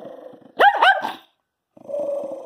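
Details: Jack Russell Terrier indoors growling and barking after being asked again whether he chewed up the bed: a person speaks, then two sharp harsh barks with a grumbling growl trailing off, and the owner's scolding voice resumes.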